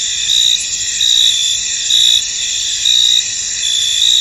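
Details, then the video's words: Chorus of crickets in a misty field, thin and high-pitched, with distinct louder chirp bursts about once a second over a continuous shrill background buzz. "Tranquil Cricket Sounds In An Misty Field"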